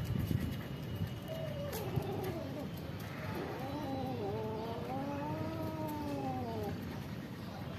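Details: Several cats and kittens living at a pagoda, meowing to ask for food: overlapping drawn-out meows, wavering and arching up then down, several voices at once from about one to seven seconds, over low rumbling background noise and faint clicks.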